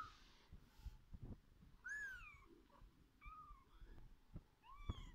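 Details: Kittens feeding with their mother cat: clear high-pitched mews, each a short rising-then-falling whine, repeated about four times, over a low purr and occasional soft bumps.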